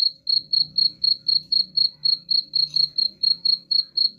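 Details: A cricket chirps at a steady pace of roughly four high, pulsing chirps per second, with faint low background murmur beneath; the sound is offered as a rat repellent.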